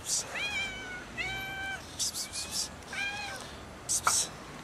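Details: Angry cats arguing and fighting over food, giving harmonic meows that rise then fall, three main calls with short hissy bursts between them.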